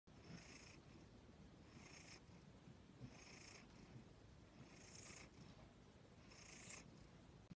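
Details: Domestic cat purring close up: a steady low rumble with soft, breathy hissing bursts that swell about every one and a half seconds as the cat breathes in and out, with no other sounds.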